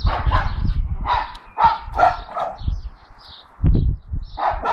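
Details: Four-month-old blue Staffy Dexter barks alongside Milly at the neighbours' dogs; clusters of short barks start and stop, separated by a near-quiet gap before a few thumps and a final burst.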